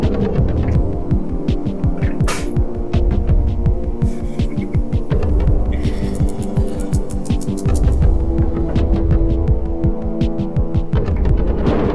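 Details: A loud low throbbing hum with rapid irregular pulses fills the recording, with brief hissy bursts and no animal call.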